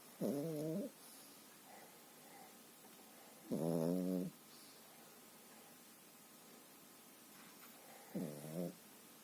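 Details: Sleeping Pekingese snoring fairly quietly indoors: three loud, harmonic, rasping snores about half a second to a second long, spaced several seconds apart, with soft hiss between.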